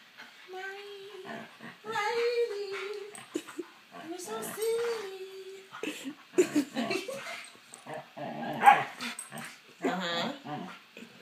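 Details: Freshly groomed Siberian husky greeting and cuddling a person indoors, giving drawn-out wavering whines and vocal moans over the first few seconds, mixed with a woman's speech and chatter throughout.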